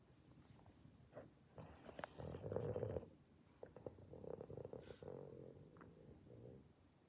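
A Boston Terrier snores in rough, rattling low breaths with snorting bursts between quieter stretches.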